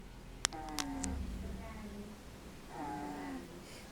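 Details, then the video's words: Kathleen, a 7-week-old English Bulldog puppy, snores while asleep: two drawn-out, whistly, wavering tones, the first sliding slowly downward, separated by a short pause, with a few sharp clicks near the start in a quiet indoor room. "Kathleen Snoring"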